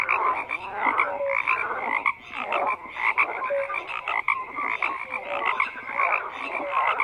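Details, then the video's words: A thick chorus of frogs, with rough, grating croaks layered over one another and scattered short piping notes rising above the din, continuous throughout. "FROGS CROAKING"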